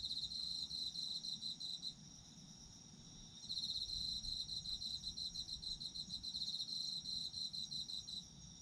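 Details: Autumn insect calls in two bouts: a quick pulsed high chirping for about two seconds, a quieter gap of steady hum, then a longer run of rapid trilling from three and a half seconds onward.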